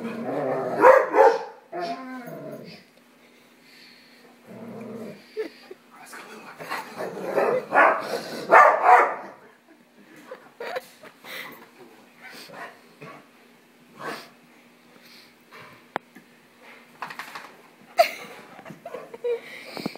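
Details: Dog named Marley being teased by his owner in a playful rodeo, growling and letting out loud rough barks in bursts, with a steady low hum and a voice calling him.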